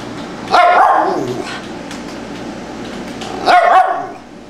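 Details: Tibetan Spaniel named Fido barking in reaction to a sound he hears: two sharp single barks about three seconds apart, over steady background hiss.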